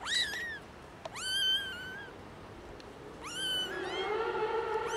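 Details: Three young kittens found in a garden give loud, high, rising meows with rich harmonics, several in quick succession, apparently hungry.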